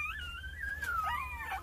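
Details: A two-day-old Jindo puppy from a litter of nine, tended by its mother Sarang, gives one long, wavering whine that slides up and down in pitch, over a steady low hum.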